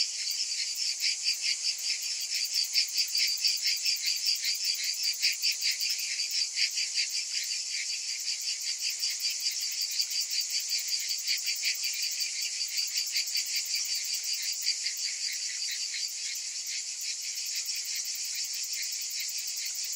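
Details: Summer cicada chorus, a continuous hissing drone of high buzzing with rapid rhythmic throbbing of about two and a half beats per second, slightly swelling near the third second, otherwise unbroken.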